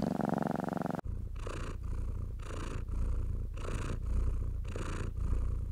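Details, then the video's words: Relaxed house cat being stroked, purring; after a short harmonic tone at the start, a low steady purr continues with soft hand swishes across the fur at an even pace. "Cat Therapy 4Hrs of Stroking & Purring"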